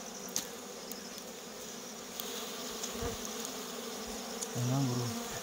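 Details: A steady drone from honey bees as people gather natural honey from a comb in the wild, with a brief lower rumble near the end and faint clicks.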